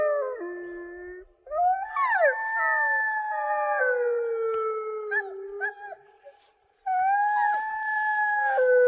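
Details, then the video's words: Several wolfdogs howling together, long overlapping tones at different pitches, some sliding down and others rising, with a brief lull near the middle before the chorus swells again. "Wolf dogs howling"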